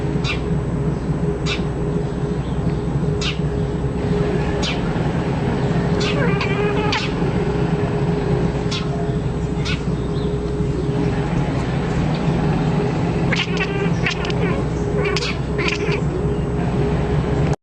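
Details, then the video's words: Domestic cat said to sing like a bird: short warbling, chirping trills with stacked overtones, clustered around six to seven seconds and again at thirteen to fifteen seconds, over a loud constant low hum and rumbling background. "Кот поёт как птица"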